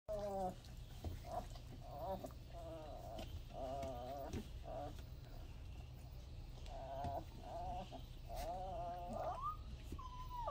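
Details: Newborn Weimaraner puppies born Easter Day 2022, now over 3 lbs with eyes open and becoming active, squeal and whimper in short, wavering, high-pitched cries over a low background hum.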